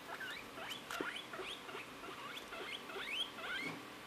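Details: Pet guinea pigs, a pair trained to leave their cage, play outside and find their own way home, give a quick run of short squeaky chirps that slide up and down, several every half second, over a faint rustling background.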